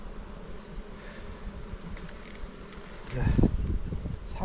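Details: Dense humming of a honey bee colony as a keeper on Jirisan, Korea, opens the third hive box; a steady low drone, broken at about three seconds by a loud burst of handling noise.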